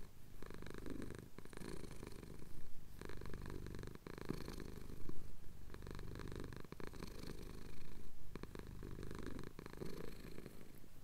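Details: Male pet cat purring as his chin is scratched at sunrise over the Cotswold hills, England, recorded on a Tascam DR-07X: steady low rumbling purr in long breathing cycles, with soft clicks and rustles of movement.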